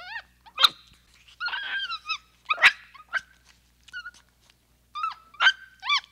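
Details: Capuchin monkey calling in a mix of tonal peeps, wavering squeals and harsh, broken bursts, with the calls overlapping irregularly. Sharp clicks cut in between the calls.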